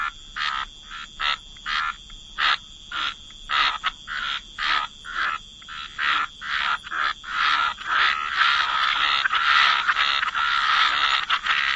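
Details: Frogs croaking in a calm wetland by the water: evenly spaced, short grating croaks about twice a second that swell into a continuous overlapping chorus in the second half, over a constant high thin tone.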